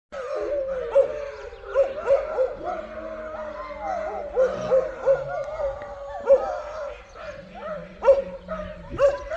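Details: Four dogs howling together at a forest homestead in Belarus, wailing rather than barking; drawn-out wavering tones around a steady pitch, rising and falling in overlapping bursts, with a person speaking and short sharp noises between.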